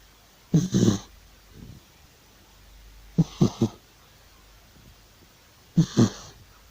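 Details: Old male domestic cat asleep, snoring loudly: three bursts of low, rough, breathy snorts, each a double or triple puff, spaced about two and a half seconds apart, with quiet room background between them.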